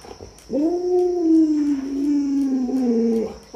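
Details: Pet Alaskan Malamute Luoluo cuddling up and clinging to a leg to beg for a piece of watermelon, giving one sustained, moaning howl-like whine of nearly three seconds that sags gently in pitch before breaking off, with a thin steady high tone behind.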